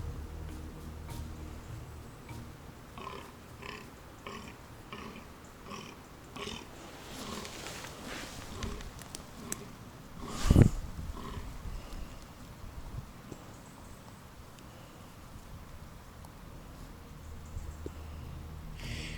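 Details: A fallow deer buck gives deep, belching groans in a repeated series of belling mating calls to attract females during the autumn rut.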